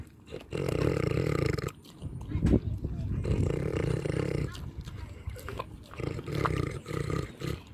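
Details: Farm pig eating and snoring: deep, rough, buzzing grunts in long bursts of one to one and a half seconds, three main bouts separated by quieter breathing pauses, with faint clicks between.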